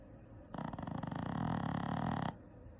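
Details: A Shih Tzu dog snoring: one long, rattling, fluttery breath lasting almost two seconds, made of rapid throbbing pulses with a raspy, noisy edge, then quiet.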